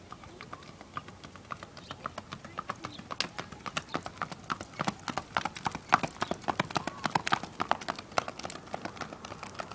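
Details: Tennessee Walking Horse, an ivory champagne gelding, moving with a steady run of sharp clip-clop hoofbeats, about 107 a minute and somewhat uneven, louder toward the middle, over a quiet background.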